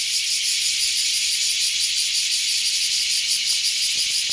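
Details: Loud morning chorus of large brown and bear cicadas near wooded hills in Japan, around nine o'clock: a continuous shrill, high-pitched buzzing drone with a rapid throbbing pulse and no other clear sounds.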